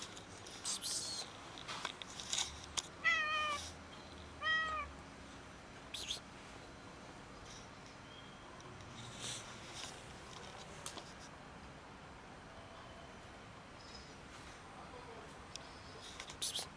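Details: Black and white cats, hungry outdoors in winter cold and asking for food; two short, clear harmonic meows sound close together early on, among scattered clicks and rustling, then mostly quiet background.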